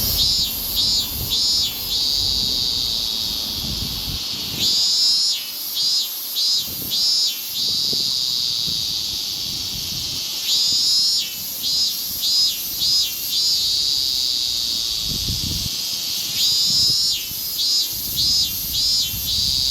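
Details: Higurashi cicada singing in summer in Japan: repeated bursts of rapid, high pulsed notes over a steady high insect drone, with gaps of a few seconds between bursts and low rumbling noise underneath.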